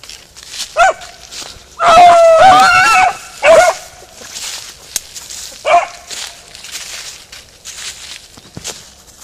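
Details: Beagle Harrier in a ploughed field giving short, ringing barks, then a long wavering bay of about a second, followed by two more single barks spaced by quiet gaps, with faint outdoor background.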